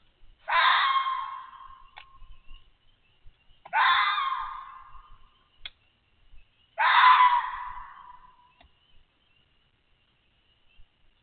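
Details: Adult red fox barking near a den holding six kits while a coyote tries to reach them, the fox calling to draw the coyote away; three harsh, hoarse screaming barks spaced about three seconds apart in quiet surroundings.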